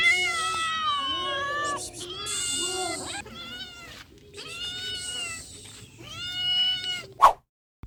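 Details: Wounded and hungry cat calling for help with a run of strained, wavering meows, several held for over a second, closely spaced, then a sharp knock near the end before silence.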